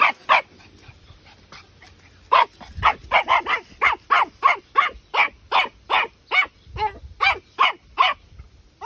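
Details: Twelve-week-old Patterdale Terrier puppy yapping persistently, short bright barks repeated roughly three per second in an uneven series, after a few fainter yips at the start; quiet room background.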